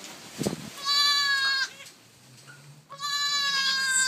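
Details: Day-old newborn goats noisily bleating: a short thump, then a strained bleat of under a second, a pause, and another sustained bleat starting near the end; a person speaks softly nearby.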